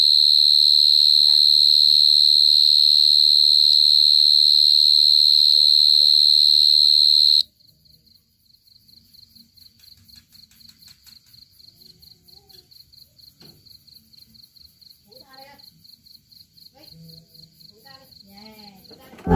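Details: A cricket recorded close up in 2022 gives a steady, loud high-pitched trill for several seconds, then rapid regular pulsed chirps, several per second, with faint rustling and handling noises.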